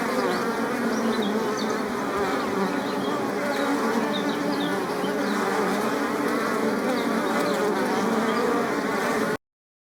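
Many bees fill the air with a continuous, layered buzz, a low droning hum that rises and falls slightly as individuals pass close. The wingbeat tone holds steady throughout, with no other clear sounds.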